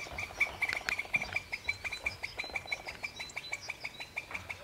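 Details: At a cemetery edge, a squirrel that spotted the photographer gives a rapid series of sharp, high chirps, an alarm warning a feeding companion, which then moves away.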